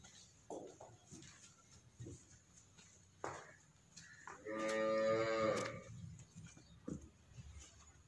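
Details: Sahiwal-Friesian cross cattle at a farm in Arifwala, recorded 18 February 2020: one loud, drawn-out harmonic moo lasting about a second and a half midway, with a few shorter low grunts and soft knocks around it.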